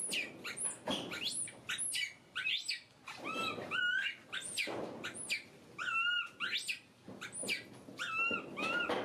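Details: Baby monkey kept as a pet, crying and screaming: shrill, high squeals and sharp rising-falling cries in rapid irregular bursts, some harsh noisy shrieks, with brief quiet gaps between outbursts.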